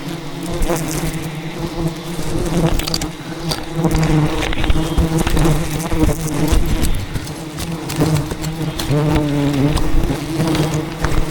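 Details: Thousands of wild bees defending their colony in dense rainforest while their giant hive is harvested: loud, continuous low buzzing with individual bees' pitch wavering past, plus frequent clicks and brushing noises.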